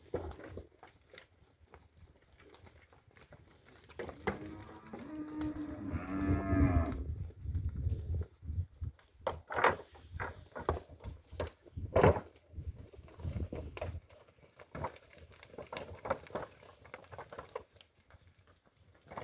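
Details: Nelore heifer calves, a group of 22 aged ten months, in the Fernandópolis region of São Paulo, Brazil; a low drawn-out moo rises above steady rumbling, clattering noise, with further short bursts of knocking afterwards.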